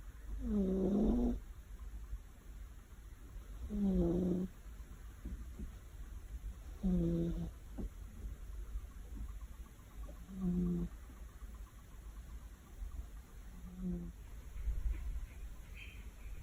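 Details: Domestic cat fast asleep on a warm afternoon, snoring heavily: short grating snores repeated roughly every three seconds, six in all, fading slightly toward the end, with faint steady background hum.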